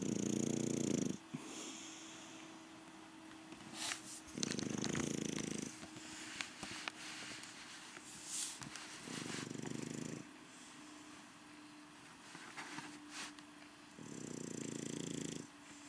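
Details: Rocky Balboa, an English Bulldog, sleeps through his evening siesta with four heavy, throaty snores about every four seconds, plus some faint clicks and rustles in between.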